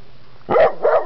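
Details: Dog wanting to be let out in a parking lot at Buntzen Lake, giving two short, loud barks about a third of a second apart after a quiet start.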